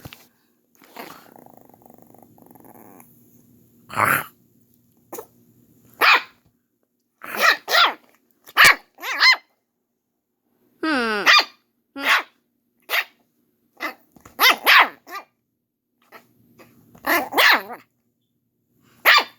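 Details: Pet dog barking at an older canine sister at home: about a dozen short, sharp barks in irregular bursts with pauses between, one longer wavering yelp near the middle, and a low steady hum beneath.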